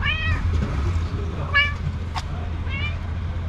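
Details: A very affectionate female house cat, rubbing against a person's steady hands, gives three short, high meows. Each bends up and then down, spaced about 1.3 seconds apart, over a constant low rumbling background.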